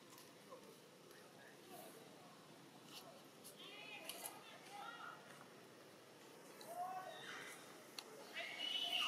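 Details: Baby macaque named Dito, of the Siem Reap Province troops in Cambodia, crying hungrily for milk: faint, thin squealing cries with upward-curving and arching pitch, scattered and growing stronger toward the end, over a soft hiss with occasional clicks.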